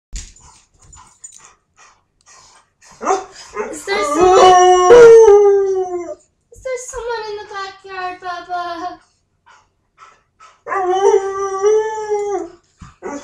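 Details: Pet dogs kept indoors, howling because they want out while guests are in the yard: long, wavering, harmonic howls that slide downward, in three drawn-out bouts separated by short pauses, with the voices overlapping.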